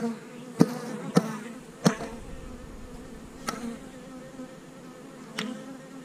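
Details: Honey bees droning at a hive on split day, when colonies are divided and queen cells checked. A steady low hum with harmonics runs throughout, broken by five sharp wooden knocks of hive equipment.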